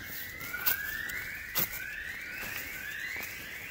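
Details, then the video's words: Gibbons in the jungle of Cat Tien, Vietnam, on 16 January 2023: a series of rising whistled notes, each sliding upward and repeated about every second, with a few sharp clicks and faint forest background. "observing & listening Gibbons"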